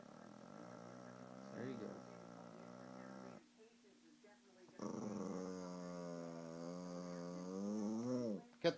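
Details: Popo, a Shih Tzu, growls like a chainsaw when told to start again and cut the tree down: two long, steady, buzzy growls of about three and four seconds, rising in pitch at the end, with a short pause between.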